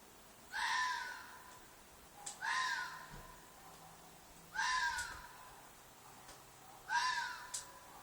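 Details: Fox shrieking at night from a field behind an apartment: loud hoarse cries with a slight downward slur, four of them about two seconds apart, over a quiet background.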